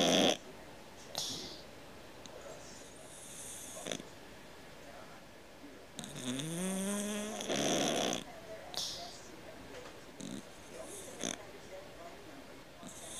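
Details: Cat snoring heavily indoors, compared to a man's snore: irregular breathy snorts and one prominent rising, rattling snore in the middle, with scattered short breaths and low background sounds around it.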